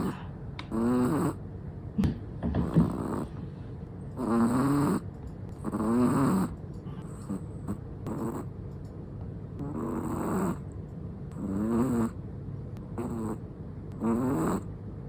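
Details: A sleeping Chihuahua snoring, steady rasping snores with a buzzy, slightly whistling tone, each lasting about a second and recurring roughly every one and a half to two seconds, with quiet breathing between.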